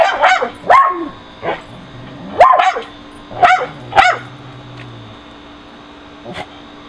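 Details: Pet dogs barking at a squirrel on an electrical high wire, recorded with a Nikon D7000 on June 30, 2011: a run of sharp barks roughly every half second to second, fading to one softer bark, over a low steady hum.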